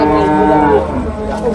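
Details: Buffalo calves for rearing at Cholakkal market near Manjeri, Kerala: a short, level, buzzy-toned bawl that fades gradually, with faint market background.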